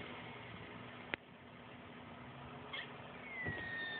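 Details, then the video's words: Squirrel with hiccups: a faint, thin whistle glides steadily downward near the end, like a falling bomb, after a sharp click early on, over a constant low background hum. "Squirrel...with hiccups?..sounds like falling bomb"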